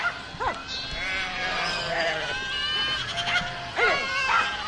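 A herd of goats bleating, overlapping wavering calls from several animals at once.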